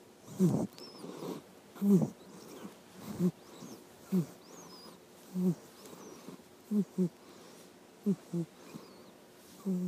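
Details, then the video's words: Sleeping panda snoring: low, rough breaths repeated roughly every one to one and a half seconds, with faint high whistled chirps in the background. "panda snores"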